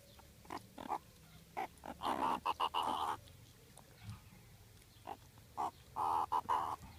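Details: On a hot day, meerkats eating fruit ice lollies give short, squeaky squeals and chirps in irregular bursts, some longer and more strained.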